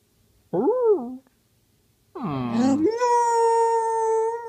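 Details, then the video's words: Penny the dog howling lazily: two short rising-and-falling wavering notes, a pause, then a long steady held tone near the end, as though saying "I love you". "Penny howls lazily and says I love you"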